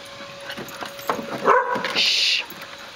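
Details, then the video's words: Four dogs, a Siberian husky named Akira, Nala and Shasta (mixes) and Sophie (terrier mix), playing in a yard in May 2012; short yips and whining cries, with a brief high squeal near the end. "Akira, Nala, Shasta and Sophie playing"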